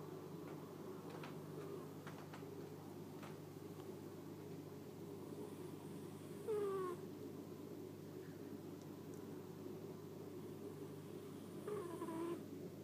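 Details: Domestic cat disturbed while snoring asleep and waking up unhappy; quiet steady background broken by two short whiny, bending vocalisations, one midway and one near the end, with faint clicks between.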